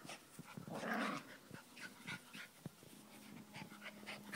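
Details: Two Miniature Schnauzers playing indoors, a 12-week-old chocolate brown toy puppy pouncing on a salt-and-pepper adult of five and a half years: a short rough growling burst, then scuffling, panting and soft low growls.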